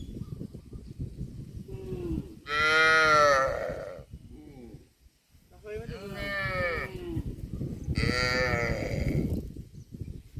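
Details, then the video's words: Cattle give three drawn-out, rich harmonic moos, each lasting about a second, separated by pauses filled with low rumbling background noise. "CUTE AND FUNNY COW SOUND VIDEOS COMPILATION"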